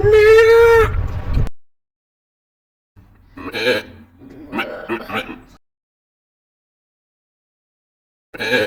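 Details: Goat (Capra hircus) scream: one loud, steady, nasal scream, followed by rustling sounds and what may be voices.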